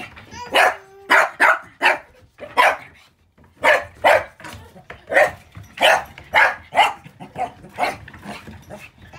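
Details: Honoka, a puppy recorded on October 7, gives a rapid, excited run of high, sharp yaps, often in pairs, continuing almost without pause.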